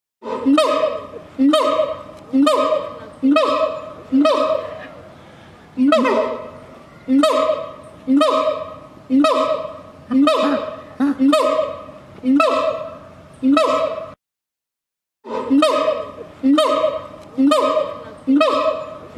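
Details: A siamang gives loud, harmonic barking calls, repeated about once a second in a steady series.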